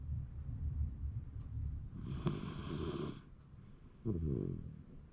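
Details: January 2024 recording of a sleeping Shiba Inu: steady deep rumbling snore, a harsh raspy louder stretch midway, then a brief wheezy snore.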